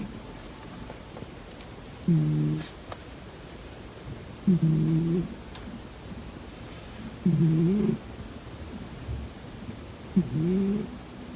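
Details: A pet cat snores in its sleep. Four short, throaty, buzzing breaths sound at steady intervals of about two and a half to three seconds. Each snore rises then falls slightly, and the pauses between them are quiet.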